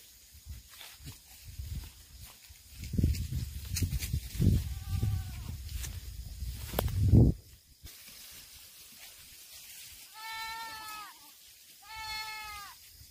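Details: Black goats at a farm in Gimhae, South Gyeongsang, South Korea, on 8 September 2024. Thumps and knocking fill the first half, with one faint bleat among them, then two clear, quavering bleats follow a couple of seconds apart.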